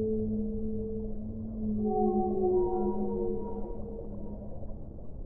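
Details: Whale song with overlapping drawn-out tonal moans, some steady and some gliding upward in pitch, layered in several bands and fading toward the end against a soft, muffled background hiss.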